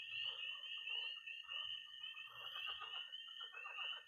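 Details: Night chorus of tree frogs, toads and pond frogs in early spring in Missouri: a dense, continuous high shrill band of overlapping peeps and trills, with lower pulsed croaking and clicking beneath.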